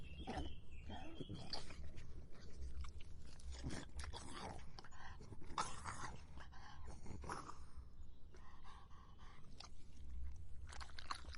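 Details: Dog drinking, heard as a run of irregular wet, broadband lapping clicks over a steady low hum, with a few brief tonal squeaks between the laps.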